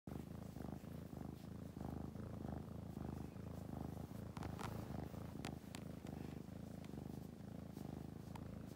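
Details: Baby kitten purring up close: a continuous low rumble pulsing rhythmically about twice a second, with soft brief rustles here and there.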